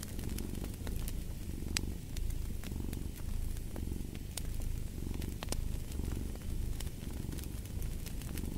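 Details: Deep rhythmic cat purr pulsing in regular breath cycles of under a second, strong and close, while a fire crackles and pops intermittently in the background.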